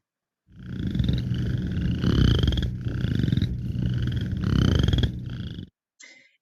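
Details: Western Chorus Frog calling in spring with a run of short, rising, pulsed trills, a monotonous call compared with the spring peeper's, over a heavy low rumble.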